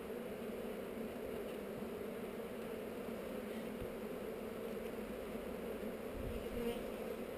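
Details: Honey bees on heather buzzing during a hive inspection filmed with a GoPro: a steady, dense hum of many bees, unbroken for the whole stretch, with occasional soft knocks.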